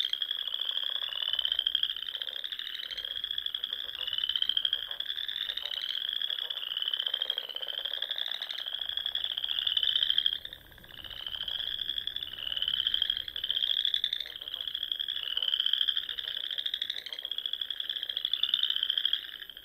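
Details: Evening spring chorus of frogs from the ponds of the Nebraska Sandhills, high rapid trills swelling and rising in repeated waves about every two seconds, with low staccato clicks scattered between and a short lull midway.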